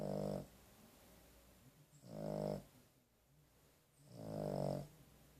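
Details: Dog named Carley asleep after a vet visit: three rough, buzzy snores roughly every two seconds, each swelling and fading, quiet room between breaths.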